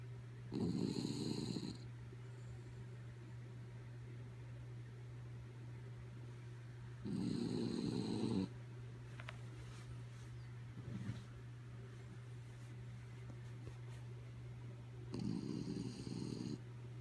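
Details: Kaya Boo, a dog fast asleep, snoring: three rasping, breathy snores spaced about seven seconds apart, quiet breathing between them, and a steady low electrical hum underneath.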